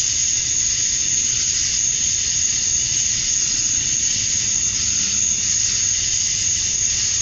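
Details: Male cicadas in a Georgia, USA summer dusk chorus, calling to attract females; an intense, continuous high-frequency buzz topped by a steady whistle-like whine, with a quiet low rumble underneath.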